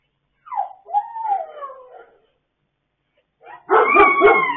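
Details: Dogs howling together late at night on 26 October 2022: a descending howl, a pause, then a louder, denser chorus of overlapping wavering howls with harsh, rough texture at the end.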